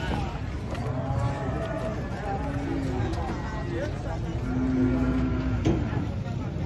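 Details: Agitated cattle being unloaded from a truck give long, steady low moos, two drawn-out calls in the second half, over constant voices of people talking and a vehicle rumble.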